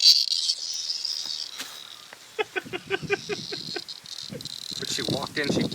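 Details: Cicada caught in a dog's mouth indoors at night, giving a steady high buzzing drone throughout, while a man firmly tells the dog no and to drop it, with a quick series of short voiced bursts midway.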